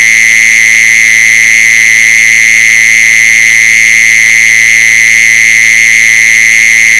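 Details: A mole cricket sings a continuous, even trill, high and tonal like a ringing buzz that never pauses or changes pitch, played as a lure sound for mole crickets. A faint low electrical hum sits underneath.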